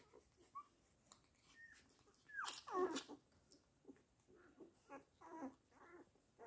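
A Weimaraner gives short, high whines and one sharp, louder bark-like yelp in a quiet room.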